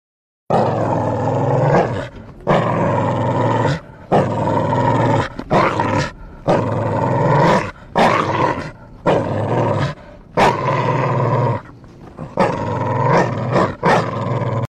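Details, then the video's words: Dogs fighting: harsh, throaty roaring growls in long repeated bursts separated by short gaps, loud and close throughout. "Kutte Ki Ladai | Kutte Ki Awaaz"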